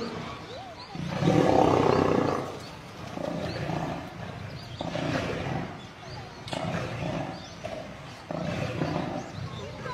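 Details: A male lion under attack by a group of lionesses that kill him. A loud, rough snarl swells early, followed by a string of rasping growls and grunting bursts.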